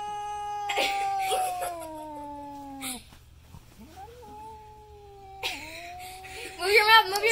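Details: Pet cat scared by a painted goat skull mask, giving sustained falling yowls and a softer rising wail, with laughter and a shrill voice breaking in near the end.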